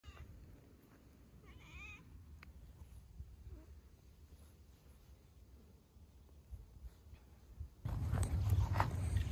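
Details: Affectionate stray calico cat during its morning routine outdoors, giving one short, wavering, harmonic meow early on, then quiet street ambience ending in a loud low rumble.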